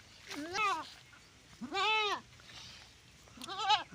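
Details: Goat bleating while giving birth on a farm: three loud, harmonic, arching bleats about a second apart, the middle one longest, with soft human voices between them.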